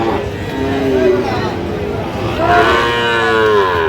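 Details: Sahiwal bull at a cattle market in Bangladesh, 23 August 2025, as young Sahiwal stock is traded: two drawn-out, tonal moos, the second louder and longer, over steady market chatter and background voices.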